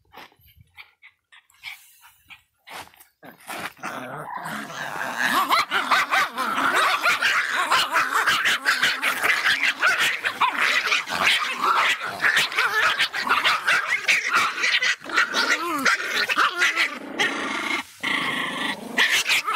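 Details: An angry Miniature Pinscher barks in rapid, sharp, high-pitched bursts, almost without pause.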